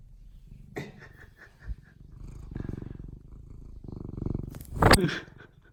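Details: Pet cat Odeko starts purring indoors after meowing for attention: a steady low rumbling purr through most of the span, with a person's soft talking and a brief sharp noise near the end.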